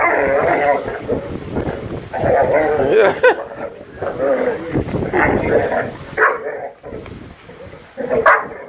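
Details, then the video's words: Great Dane puppies in rough play, giving a dense, continuous tumble of barks, yips and growls that breaks into separate sharp yelps toward the end, with voices mixed in. "Great Danes puppies playing rough"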